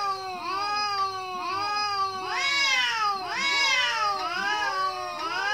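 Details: Cat meows said to express anger toward other cats: a dense layering of overlapping, arched, wailing meows rising and falling, one starting about every second.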